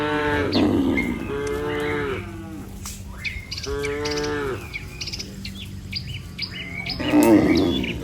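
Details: Tame cattle in a herd of dozens walking home to the barn after a day on the pasture: drawn-out, nasal moos, three in eight seconds, some falling at the end, with small birds chirping behind.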